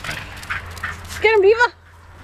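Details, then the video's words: Upset at visitors departing, Diva, a 12-year-old Wire Fox Terrier, lets out a brief wobbling, rising-and-falling howl-like whine after a few faint yips, then silence; low room hum beneath. "Diva, the 12 year old Wire Fox Terrier saying goodbye to party guests"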